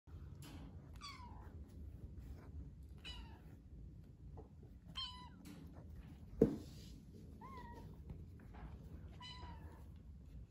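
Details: Newly arrived foster kittens meow indoors. About five thin, high meows come at intervals of one to two seconds, each sliding downward. A sharp knock sounds midway.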